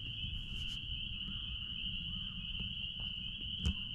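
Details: A dense chorus of spring peepers behind a blueberry farm merges into a steady, high, ringing whine over low rumbling background noise.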